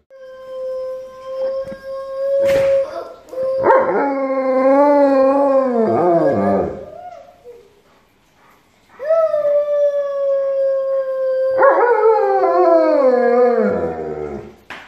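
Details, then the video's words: Family choir with their Alaskan Malamute Benz howling along. A thin level tone is followed by rich wavering howls that slide down. There are two long phrases with a quiet break between them, and faint clicks are heard early on. "Dog Singing | Alaskan Malamute make choir with Family"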